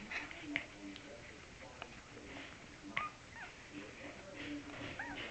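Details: One-week-old Cavalier King Charles Spaniel puppies, Laura Belle's litter, indoors: thin high squeaks and short rising-falling whines scattered through a murmur of soft background noise.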